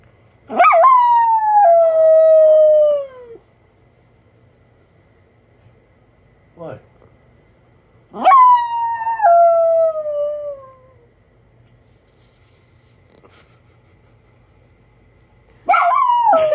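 A Miniature Schnauzer howls in long, falling, whining cries, each lasting about three seconds.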